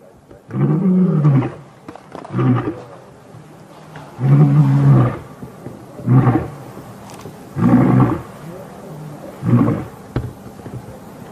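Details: Matimba coalition lions answer challenging Birmingham males during the start of a territorial takeover, August 5, 2015. Six low, throaty roar bursts are spaced about two seconds apart, some longer and louder than others.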